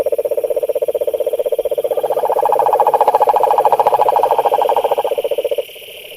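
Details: Croaking frogs at a pond: a rapid rattling trill, joined midway by a second slightly higher trill, runs for over five seconds and then cuts off, leaving quiet background hum.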